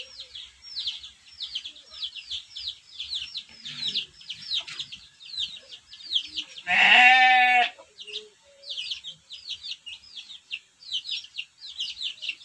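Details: In a simple pen, a Texel Merino sheep lets out a single loud, quavering bleat of about one second, set against continuous rapid high chirping from small birds or chicks nearby.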